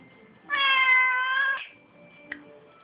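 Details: Pet Siamese cat chatting: a single loud, bright meow lasting about a second, fairly flat with a slight rise, followed by a small click in a quiet room.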